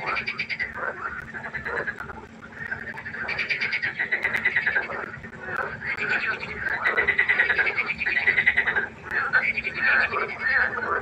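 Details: Frog concert at night by the pond: many frogs croak in overlapping pulsed bursts, rattling runs of about a second that rise and fall in waves, with a steady low hum beneath.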